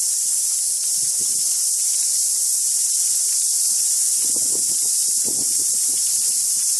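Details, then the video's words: Very loud cicadas singing together, a steady, shrill wall of sound without pauses, while soft rustling and low murmurs come and go below it. "The cicada song was deafening today."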